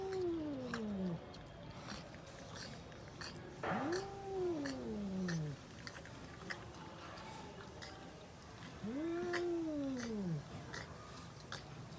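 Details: Cats fighting: quieter arched moaning yowls, each rising then falling away over about a second and a half, three separate cries amid faint background noise and clicks.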